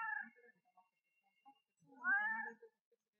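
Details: Cat crying in a cute voice: a short harmonic meow at the start, then a louder, clear meow that rises and falls around the two-second mark, with soft low murmurs between them in a quiet room.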